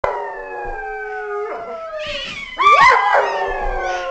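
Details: Dog. Several dogs howl in drawn-out, tonal notes that glide gently down in pitch. Midway a second, louder voice joins with a rising, wobbling howl, so the voices layer into a rough chorus.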